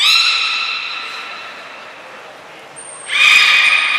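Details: Beluga at Port of Nagoya Public Aquarium during a group training session on 2 April 2023: a rich harmonic call fading out, then a trainer's high steady whistle followed by another strong harmonic call.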